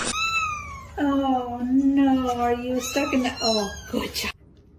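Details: Domestic cat indoors giving a long, drawn-out meow held steady for about two seconds, followed by several shorter, rising yowls in quick succession, with human voices mixed in.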